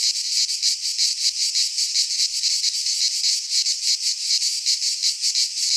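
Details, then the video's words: Singing cicadas of the Greek fauna in a midsummer pine forest, an intense sizzling buzz that rises and falls in rapid rhythmic pulses without pause. "Cicadas singing in midsummer - Nature sounds from the Greek fauna - Sounds of cicadas"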